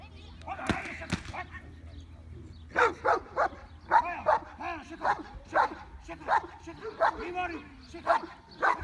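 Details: Working Cane Corso, ten months old, barking during defence work: after a quiet start, forceful barks come in a loose series, about a dozen in six seconds, with voices nearby.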